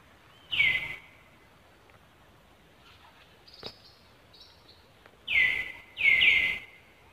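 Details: Monkeys in Cambodia, as Angela reacts to another monkey near Lucie: three high, tonal cries, each sliding down and then holding steady, one near the start and two close together near the end, with faint clicks and low background noise between them.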